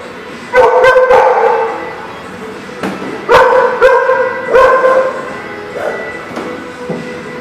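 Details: Dogs, recorded 10-12-19, giving short clusters of sharp barks and yips at about one, three-and-a-half and four-and-a-half seconds, with quieter whining yelps trailing off near the end over a steady background hum.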